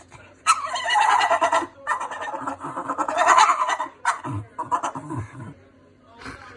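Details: Staffordshire bull terrier stressed by a neighbour's cat, giving harsh, bleating, goat-like cries in long wavering bursts, then shorter grunting yelps, with quiet pauses between.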